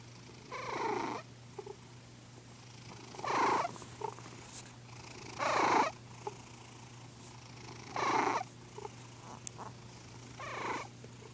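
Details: An old pet cat asleep and snoring, with breathy rasping snores coming about every two and a half seconds, each one a short rough burst and then a quiet pause, over a steady low electrical hum in a quiet room.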